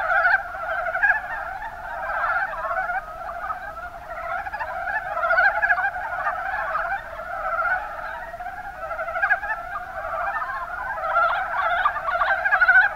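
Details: Rana ornativentris calling together in the Kuma Basin, Kumamoto Prefecture, Japan: many frogs give quick rattling pulse-trains that overlap without pause, a steady chattering chorus throughout.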